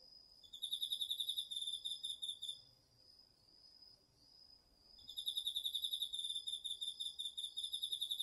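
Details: Crickets and other autumn insects calling at night in a home garden field in Japan, recorded with a DR-40X: a short train of quick high chirp pulses, a pause with only a faint steady trill, then a longer chirping run.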